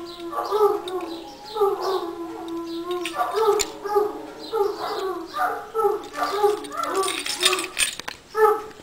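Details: Wolfhound 'song' from Irish Wolfhounds celebrating St. Patrick's Day, a run of wavering, mid-pitched woo-like vocal bursts about every half second, rising then sliding down, with some clatter near the end.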